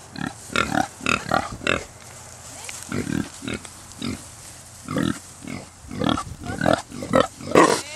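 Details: Kunekune piglets, recently born on a farm estate, give bursts of short, husky grunts in quick clusters, with a pause in the middle and a louder, squealing burst near the end.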